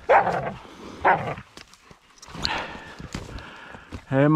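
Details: A female Laika gives short, sharp barks in spaced bursts while driving wild boar during a hunt, with people talking nearby.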